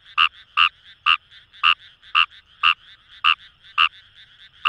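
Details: Fejervarya kawamurai calling from paddy fields in Itoshima, Fukuoka, Japan: nine loud, slightly rasping croaks in under five seconds, over fainter overlapping calls from a frog chorus.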